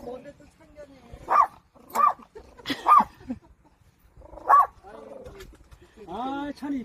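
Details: Protecting a child during grandfather's farm work, a puppy gives four abrupt barks spaced about a second apart, followed by a person's drawn-out voice at the end.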